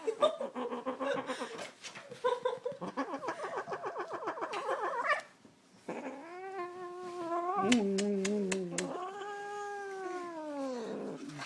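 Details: Female pet cat growling while held by her owner's father indoors: a rapid pulsing, wavering growl for five seconds, a short pause, then long drawn-out whining yowls that rise and fall in pitch.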